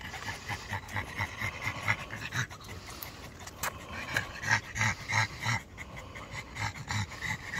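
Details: A black Pug and a Boston Terrier pant on a late-night walk in lingering muggy heat. Quick rasping breaths come in uneven bursts, roughly three per second, some louder and snuffly, with one sharp click midway.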